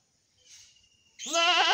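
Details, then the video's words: Black goat giving one strong, harmonic, quavering bleat that starts abruptly after a faint breathy hiss and a thin steady whine, continuing to the end. "Cute Goat sound"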